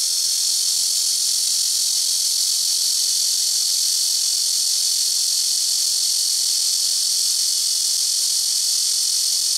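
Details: Blackish cicadas making a very noisy din from rooftop trees, several taking turns: a steady, piercing, hiss-like buzz held at full volume for the whole stretch without breaks.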